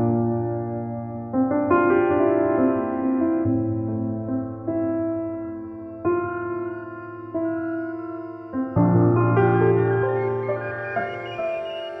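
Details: Layered piano and keyboard chords sustain and change every second or two, with no animal sounds.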